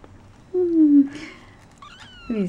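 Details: Shaded golden Persian kitten, one of a four-week-old litter of four girls playing in their corral; clear descending meows, the first long and falling, then a higher shorter cry and a final low meow, with a person talking nearby.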